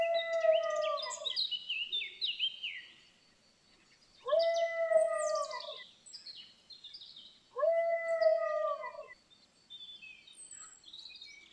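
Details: Dog moaning while lying down: three drawn-out, tonal moans about four seconds apart, each level then sagging slightly at the end with bright overtones, while small birds chirp and twitter steadily in the background.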